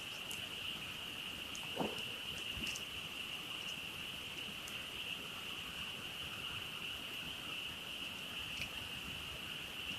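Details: Frogs calling together after dark beside a campfire while camping, forming a sustained shrill trill with a fainter lower trill beneath, and occasional crackles and one louder pop from the fire.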